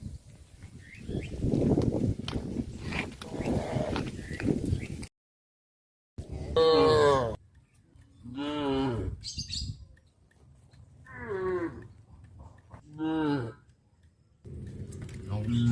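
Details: Cows on a village farm walking back to the barn in the afternoon; after about five seconds of rumbling noise and a brief silence, several short harmonic moos sound at intervals, some rising and wavering, with low background noise between them.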